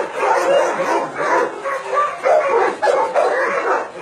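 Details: Many dogs at a meat farm and puppy mill in Nonsan, South Korea, January 2017, where about 150 dogs including Dobermans, Shar-Peis, Chow Chows and Golden Retrievers are kept, barking continuously in a dense, overlapping din of sharp, rapid barks.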